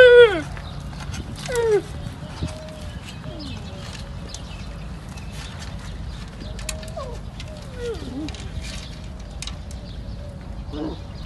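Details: Young camel, not accepted by its mother, calling: a loud falling cry opens, then a second cry and a string of quieter, wavering, falling moans over steady background rumble.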